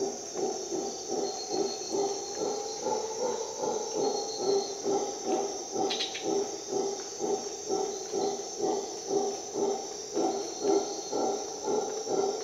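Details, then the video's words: Howler monkey howling at dawn in Costa Rica rainforest: deep, rough pulsed roaring, about two throbbing grunts per second, sustained throughout, over a steady high insect hiss and a few faint bird notes. "Howler monkey sounds"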